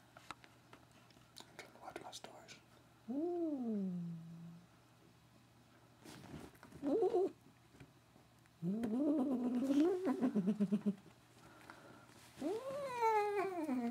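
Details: Pet cat having her ears rubbed makes strange sounds: a falling moan, a short chirp, a warbling trill and a rising meow, with soft human speech and whispering between calls.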